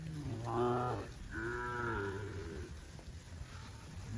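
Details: Tame cattle on a farm among green grass rice fields, several overlapping moos: a low harmonic bellow then a higher, longer moo that rises and falls, followed by low rumbling background noise.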